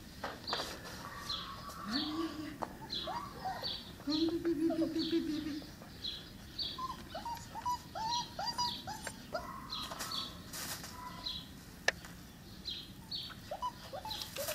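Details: Five-week-old Cane Corso puppies from the litter of Axa and Paolo, giving many short, squeaky, bending whines in quick irregular bursts, with two longer drawn-out whimpers early on and steady high chirping in the background.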